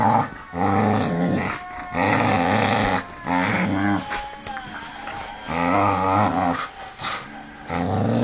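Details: Vixie, a pet dog, having a good rag on a jumper sleeve, gives loud throaty growls in roughly one-second surges separated by brief pauses, rising and falling in intensity, with a slight squeaky yip in the middle.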